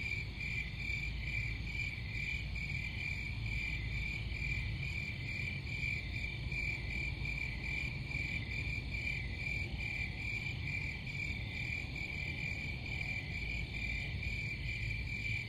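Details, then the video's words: Crickets chirping in a dense, continuous high trill with a steady band and faint pulsing, several callers overlapping, over a constant low rumble of background noise. "Crickets Sound"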